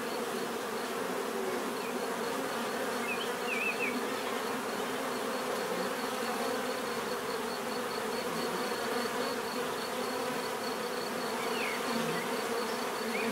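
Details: A swarm of bees hums continuously in nature, a thick, unbroken buzzing drone throughout, with a faint steady high whine above and a few brief chirps of other small sounds scattered in the background.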